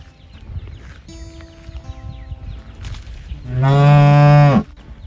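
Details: Calf mooing for its mother: after quiet background with faint twittering, one loud, deep, steady moo lasting about a second, then quiet again.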